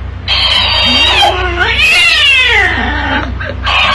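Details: Domestic cat giving a long, drawn-out wailing meow that bends up and down in pitch over about three seconds, then a brief yowl near the end, with a steady low hum underneath.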